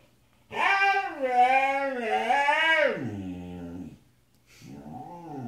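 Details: Pet Siberian Husky named Sasha singing: a loud, rich harmonic howl that rises, wavers and swoops for about two and a half seconds, drops lower, then a shorter, softer howl follows after a brief pause.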